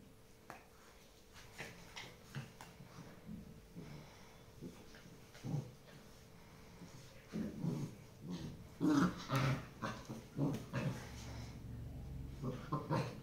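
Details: Tibetan Mastiff puppy making irregular short whimpers and low growling bursts, quiet at first and then denser and louder in the second half, with soft handling noises in a small room.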